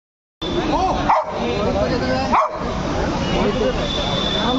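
A Golden Retriever gives two sharp barks about a second apart over a busy, voice-filled background.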